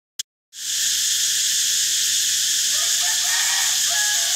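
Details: Cicada song: a click and half a second of silence, then a loud, steady, hissing drone that fills the high range without a break, with faint tonal notes from another animal entering near the end.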